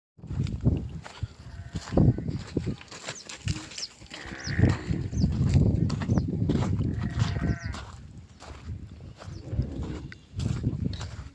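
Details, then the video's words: Young calf, a baby cow, giving two drawn-out, bleating calls with clear harmonics near the middle of the recording, over steady low rumbling and irregular thumps and knocks from movement nearby. "New Baby Cow Sound Effect Video"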